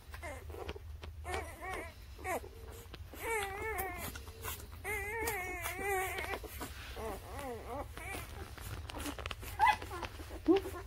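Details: Several newborn puppies, aged birth to three weeks, whimper in clustered runs of squeaky, rising-and-falling cries, roughly a dozen in quick succession, then quieter scattered squeaks against a faint indoor hum.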